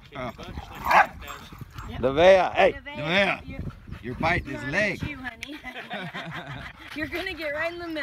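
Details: Dogs in conflict at a dog park: a female Husky nips a large male named Winston while a young American Bulldog mix plays. Harsh arched yips and growling barks in quick bursts, with human voices mixed in.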